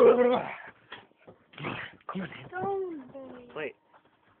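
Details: Akitas at play, close and indoors: short bursts of harmonic whining and grumbling vocal sounds, then a longer wavering whine that bends down and levels off before cutting out, with brief quiet gaps between bursts.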